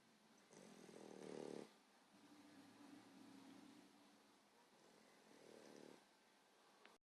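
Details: A 14-week-old female English Bulldog puppy snores very loudly: a loud, rasping inhale, a softer humming exhale, then another rasp.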